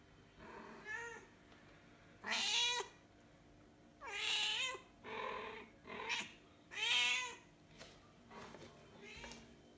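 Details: Mother cat calling her kittens, which were born outdoors. Loud, harmonic meows bend upward then fall, five or six calls in about ten seconds, with short quiet gaps between them.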